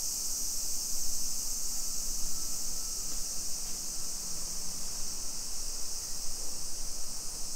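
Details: Summer cicada chorus in a Nisshin city neighborhood, Aichi Prefecture, Japan, 2 PM, 28 July 2021, heard while walking: an unbroken high metallic hiss, with a faint low hum and rumble underneath.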